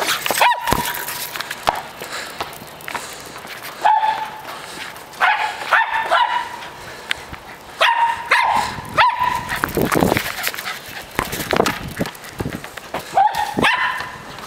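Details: A dog playing with a ball gives short, sharp, tonal barks or yips, about six scattered at irregular gaps of one to four seconds, with clattering and rustling play noise between them.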